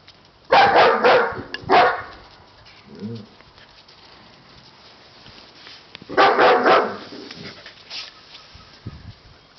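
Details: Siberian Husky puppies yapping in two loud clusters of rapid, high barks a few seconds apart, with faint background noise between them.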